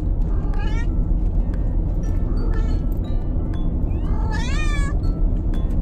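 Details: Bengal cats, five of them, meowing while being moved by car; two rising, wavering meows with a longer drawn-out one near the end over steady low engine rumble.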